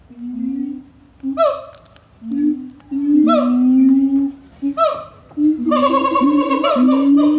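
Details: A siamang's loud call sequence, deep resonant hoots sliding upward, broken by sharp, bright barks that build into a longer, denser cascade of ringing notes toward the end.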